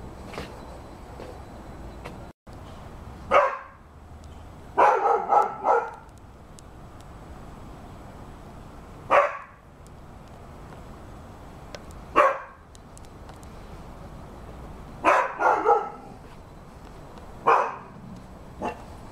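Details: Barking from a Rhodesian Ridgeback: short, forceful woofs, sometimes doubled or tripled, coming every two to three seconds over a quiet, hissy background.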